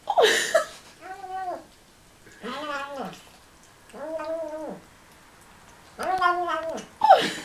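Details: Male Siamese cat vocalizing while eating: four drawn-out, arching, harmonic meow-like calls spaced about a second apart. Short noisy chewing bursts come at the start and end.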